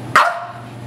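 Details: A single sharp dog bark with a quick falling tail while the dog plays with his ball, a constant low hum behind it.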